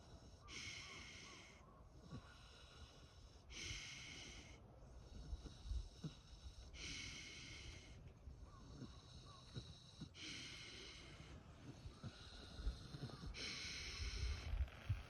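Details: Free-range pigs sleeping and snoring: soft, raspy breathing bursts repeat about every three seconds in a steady rhythm, with faint low rustling underneath.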